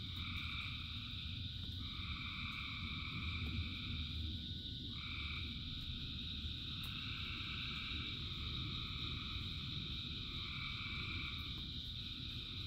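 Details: Frogs calling in rain, thousands together: continuous high-pitched trill beneath overlapping mid-pitched calls that switch on and off every few seconds, all carried over steady pattering, rumbling rainfall.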